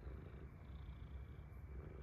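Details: Domestic cat with sleep crust in its eyes, purring indoors: a quiet, low, steady rumble of rapid pulses running through the whole short stretch, with no other clear sounds.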